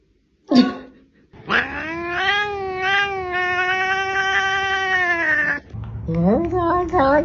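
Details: Domestic cat giving a brief sharp cry, then a long sustained wailing yowl of about four seconds with a steady wavering pitch, followed by shorter bending meows.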